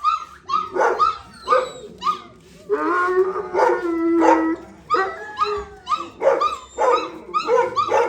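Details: Kennel with a male and a pregnant female Gultair (Gull Terrier): sharp barks in rapid series, broken by a sustained howling wail near the middle, then renewed choppy barking.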